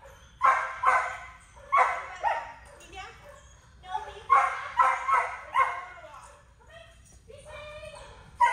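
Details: Mini Aussiedoodle, described as anxious and reactive, barking in a rapid series of sharp, harmonic barks in bursts of two to four, with short pauses between bursts; a person's voice is also heard.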